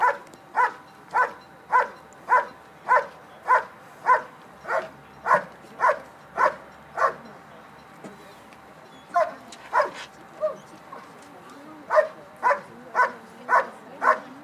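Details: At the 2013 Schutzhund USA Nationals, a dog performs an IPO bark and hold, giving a long run of rhythmic barks near two per second, pausing briefly near the middle, then resuming with slightly uneven, softer yelps mixed in.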